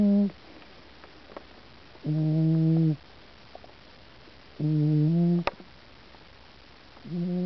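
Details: Pooper, a cat deep asleep, snoring on 16 June 2009: low, resonant buzzing snores roughly every two and a half seconds, each lasting under a second, with a sharp click between two of them.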